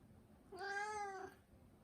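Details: Mū, a domestic Turkish Angora, utters one smooth, steady meow of under a second, with quiet room noise around it.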